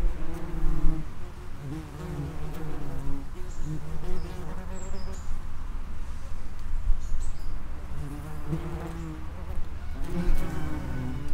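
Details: Vespula vulgaris, the common wasp, flying in and out of an underground nest entrance. A continuous low droning buzz of many wings, rising and falling in loudness with short pulses as individuals arrive and leave.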